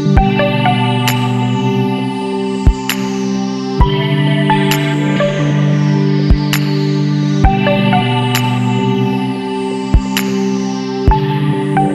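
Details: Electronic ambient music with sustained synthesizer chords and periodic sharp percussive hits fills the recording, with no animal sound.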